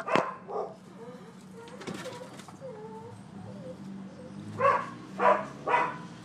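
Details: Neighbors' dogs barking at a Florida property on 12/7/15, during thirty minutes of nuisance barking: a sharp bark and a softer one, a quieter stretch with faint yelps, then three loud evenly spaced barks.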